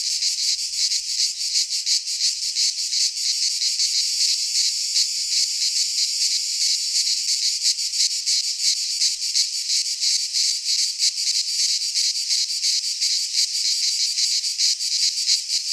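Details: A pine forest in Greece rings with cicadas in midsummer. Their unbroken, high rasping drone is finely pulsed and loud throughout, with no birds or other sounds breaking through.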